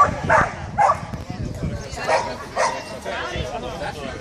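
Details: Whippet dog at an agility competition at Sarnonico, Trentino, Italy, on 13 July 2014: several sharp, excited barks repeated roughly every half second amid crowd chatter and a loudspeaker voice.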